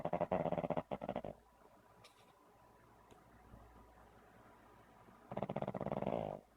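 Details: A sleeping Pug snoring: rapid rattling, fluttering snore bursts open the recording, followed by a quiet pause with faint background hum, then another loud rattling snore near the end.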